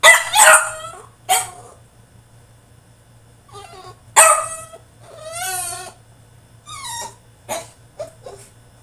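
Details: A caged French Bulldog in a tantrum gives sharp barks that break into wavering, whimpering whines rising and falling in pitch, then a few short yips, over a faint low hum.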